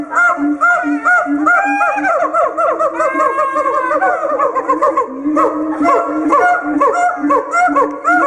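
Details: A captive siamang (Symphalangus syndactylus) in a zoo cage sings loud, harmonic hoots and wavering swoops that rise and fall continuously, amplified by its inflatable throat sac. The song serves territory marking and pair bonding.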